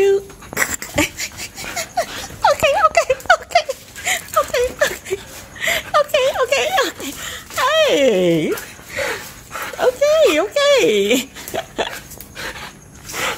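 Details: A Siberian Husky greets its owner, who arrived late, with happy, wavering, yodelling woo-woo calls that swoop up and down in pitch.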